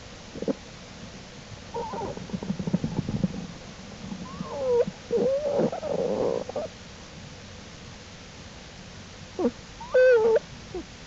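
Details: Jewel's black bear cubs following their mother out of the den to explore, April 2, 2012. Several wavering, rising and falling squeals and whines among rustling and low huffs, with a clear bending squeal near the end.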